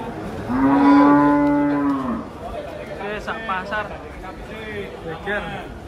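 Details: Agitated cattle unloaded from a truck. One cow gives a loud, low, drawn-out moo lasting about a second and a half, followed by fainter lowing and background noise from onlookers.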